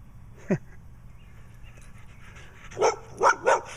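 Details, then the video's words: Dog with black eye patches, a female, barking in a yard while weeds are pulled; one short bark, then after a pause three sharp barks in quick succession over low background hum. "Dog with Black Eye Patches comes back and barks some more."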